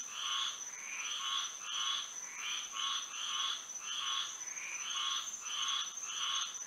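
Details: Frogs singing at night under moonlight in Florida: a chorus of raspy, pulsing croaks that come in uneven bursts, overlapping one another, above a constant high, thin insect drone.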